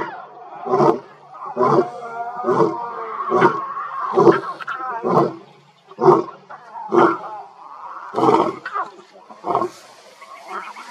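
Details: Wild lion of a free-roaming pride on the African savannah: a series of deep, harsh grunting bursts repeated about once a second over eleven seconds, with tonal, voice-like sounds running between the bursts.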